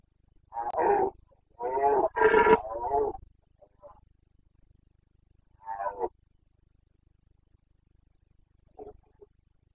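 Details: Red deer stag of the Carpathians roaring in the breeding-season rut, Bucovina mountain forests, autumn 2022; a burst of heavy, grating roars bunched together, then isolated shorter groans fading off, long quiet stretches between.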